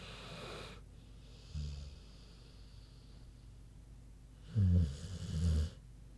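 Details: Queenie the big pig asleep and snoring: an airy hissing breath, then a brief low snort, then a loud rattling, throaty snore of about a second split into two pulses, over steady low room hum.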